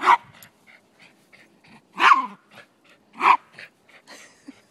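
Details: Male Silky Terrier playing soccer on a lazy Sunday in Truckee, California, blocking the ball; three sharp, loud barks about a second apart, with softer huffs and small noises between them.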